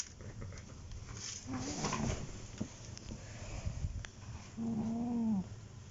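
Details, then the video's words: An old female cat, sleeping, snores. A faint wavering tone is followed by quiet breathing, then one steady nasal drone lasting under a second near the end, indoors. "Mummy cat snoring"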